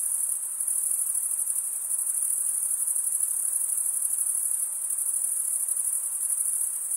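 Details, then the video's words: A steady cricket trill, very high and slightly pulsing, keeps an even loudness from start to finish over a faint background hiss. "Most relaxing cricket sound for 8 hours"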